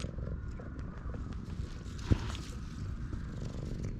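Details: Stray cat in a park purring happily while being stroked, recorded with a GoPro HERO8; a steady low rumbling pulse runs throughout, with one sharp tap just past the middle and faint background hum.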